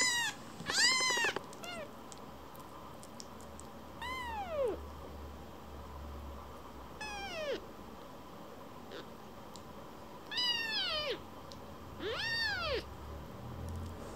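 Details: Rescued baby kitten that wanders off from its carer and comes right back to be stroked, giving high arched harmonic meows in scattered bursts, some short and overlapping near the start, with soft room noise between.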